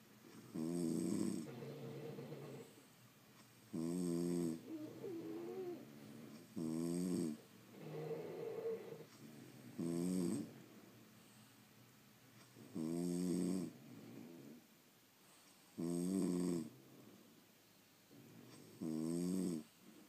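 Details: French Bulldogs sleeping inside the house, producing a long run of about seven rough, vibrating snores spaced some three seconds apart, each loud inhale trailed by a quieter whistling breath out.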